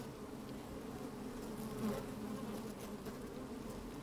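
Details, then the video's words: Inside an opened beehive on a sunny, slightly windy day, worker honey bees move about and buzz: a dense, even drone with layered low tones and a brief swelling buzz near the two-second mark. "Open Beehive - One Hour Video and Audio"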